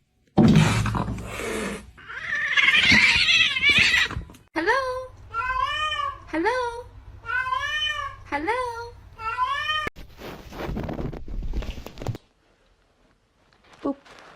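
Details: Kittens giving a quick run of about eight short, arched, high meows, each rising then falling in pitch, after a burst of scratchy rustling noise; a low steady hum sits underneath and a brief faint sound follows near the end.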